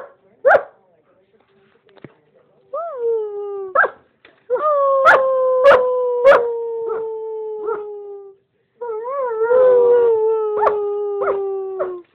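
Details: Pet male German Shepherd howling along with his owner: drawn-out, slowly falling howls that warble at the start, broken by short sharp yips, with silent gaps between phrases.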